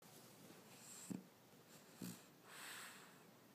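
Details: A French Bulldog, asleep on its owner on a Saturday afternoon, snores with rough, rattling snorts followed by a long breathy wheeze.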